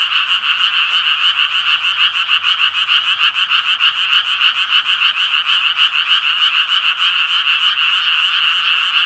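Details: Tree frogs calling in a dense chorus: rapid, rasping, nasal croaks pulsing about three times per second, overlapping into a continuous, steady wall of sound with no pauses and no other clear sounds.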